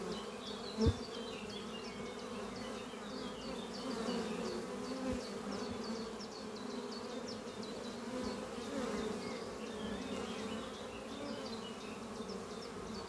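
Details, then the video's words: Worker honey bees busy at a horizontal hive under trees on a spring morning, carrying pollen; a long, steady swarming drone with a single knock early on and continual high bird chirping behind it. "Relaxing sound of bees flying at beehive Doppio on a spring morning"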